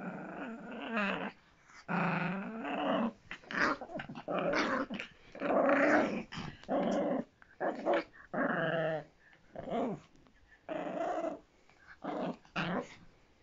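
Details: Miniature Pinscher growling in a small room, a string of harsh, throaty bursts of varying length broken by brief gaps, around ten in all, loud and rasping throughout.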